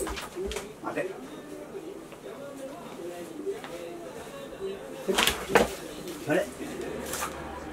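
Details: Chie, a Shiba Inu dog at play, worked up after not being played with for a while, filmed 3 March 2020: dense run of wavering, grumbling moans, then sharper knocks and thumps near the end.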